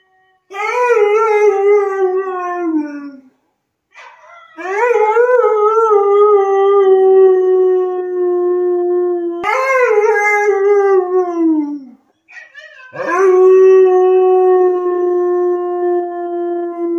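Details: A male Siberian husky in service-dog training gives long, drawn-out howls that slide gently downward, one after another; Siberian Husky.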